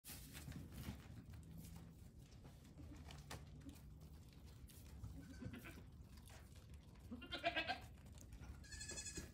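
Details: Goat kids one day to one week old, among fifteen newborns on a farm, walking up to the camera; two short harmonic bleats near the end, the first wavering, over steady low rumbling and scattered clicks and knocks.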